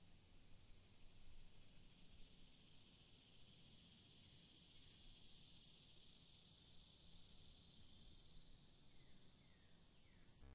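A cicada drones with a steady, high, hissing buzz that never breaks.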